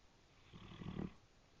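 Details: Brindle Great Dane asleep and snoring, said to sound like a train: one low, rough breathy snore swelling and fading over about half a second, recorded quietly with faint background hiss.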